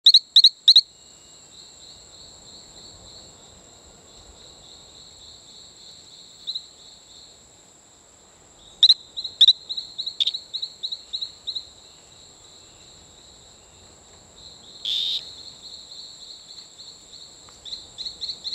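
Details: Male Talamanca rocket frog calling on Isla Colon near Playa Bluff, Bocas del Toro, Panama: fast bursts of short, high, chirping peeps, some sharp clicks, over a steady thin high-pitched whine.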